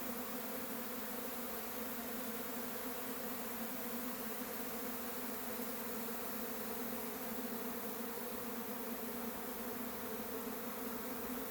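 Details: Swarm of honey bees pouring out of their hive and taking to the air, a thick continuous hum with a low drone and a bright hiss layered over it, holding steady with no pauses.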